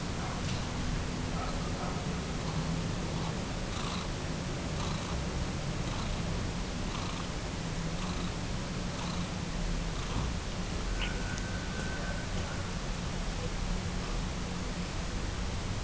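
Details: Domestic cat purring: a steady, low rumbling drone that continues without a break for the whole recording, with faint soft ticking sounds above it.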